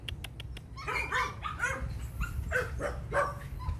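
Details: Six-month-old yellow female Phu Quoc Ridgeback with a long ridge, filmed at a Phu Quoc dog kennel in Saigon. Several sharp clicks come first, then a steady run of short barks with a low rumble underneath.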